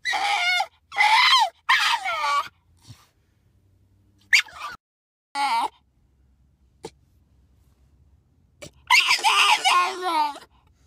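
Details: A Miniature Bull Terrier riding in a car lets out shrill, wavering screams and yelping barks in loud, uneven bursts.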